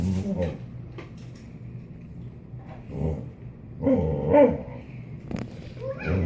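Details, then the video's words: Boxer dog indoors 'talking' to a cat, giving low, throaty grumbling vocalisations in short bursts near the start and again around the middle, interleaved with a person's voice and quiet room noise. "Boxer talking to a cat.."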